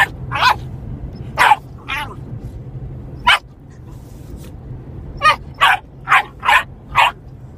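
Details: American Staffordshire Terriers during playtime: short, sharp barks scattered at first, then a run of five evenly spaced barks near the end, with a low hum throughout.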